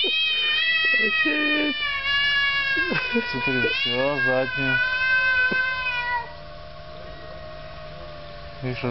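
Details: Cats in a quarrel: wavering, harmonic-rich yowls broken into short pulsed bursts, then a sustained lower moan fading quieter after six seconds, with a person talking in the background.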